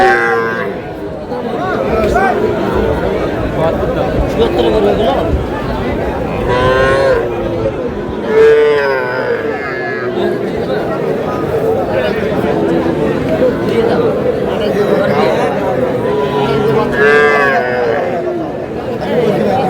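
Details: Young bulls and heifer calves at a cattle market in Madaripur, Bangladesh, on 25 July, bought by a farmer; repeated drawn-out, wavering moos rise and fall over a dense crowd of bargaining voices and chatter.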